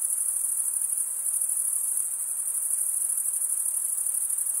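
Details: Night-time summer forest crickets chirping together, producing a constant thin, sizzling high trill that never pauses, over a quiet hissy background.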